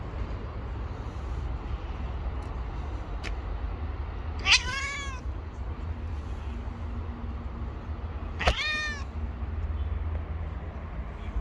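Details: Stray street cat calling with two loud, clear meows about four seconds apart, each sharply rising then sliding down, against a constant low urban hum.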